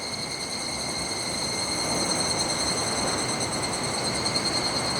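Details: Higurashi cicada beside the clear-flowing Kataigawa river, recorded 1 August 2021; a bright, sustained ringing note with layered higher overtones throbs in quick regular pulses while the rush of the stream fills the background.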